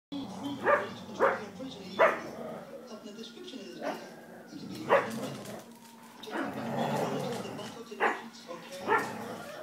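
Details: Two pet dogs, a Vizsla terrier mix and a Chihuahua mix, playing at home: short sharp barks come in bursts, three in the first two seconds, then scattered ones later, with rough growling and scuffling noise between them.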